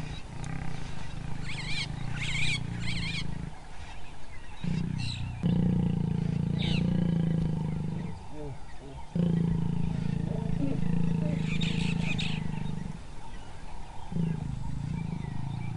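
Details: Lions mating at a wildebeest carcass as the dominant male mounts a feeding lioness after chasing off two young males; deep, harsh growling in long rumbling bursts broken by short pauses, with brief chirping birds in the background.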